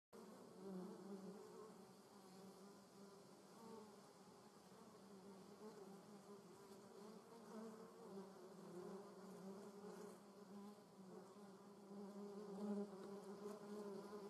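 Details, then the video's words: German yellowjackets (Vespula germanica) at their nest, a steady low droning buzz of many wasps with a fluctuating hum that swells and fades, with no other clear sounds. "German Yellowjackets at nest. Deutsche Wespen (Vespula germanica)"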